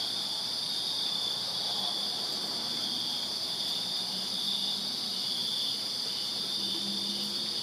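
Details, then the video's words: Summer night chorus of crickets in a Virginia backyard, a continuous shrill ringing without pause, with soft low hums drifting in the background. "Crickets Chirping Summer Night in Virginia"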